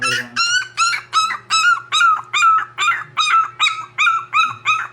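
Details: Poodle crying: a steady series of high, whining yelps, about eleven in five seconds, each a short rising-then-falling cry repeated at an even pace, with a faint low hum beneath.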